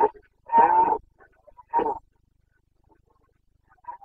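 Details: Carpathian red deer stag roaring during the rut in Bucovina, 29 September 2022: two loud, harsh, throaty bellows of under half a second each, about a second apart, with faint roaring trailing off at the end.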